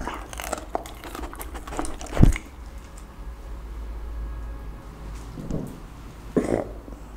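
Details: Pit bull dog chewing raw chicken, duck and cauliflower for lunch in a small room: a burst of crunching bites early on, then a loud single crunch, quieter pauses, and two more crisp bites near the end.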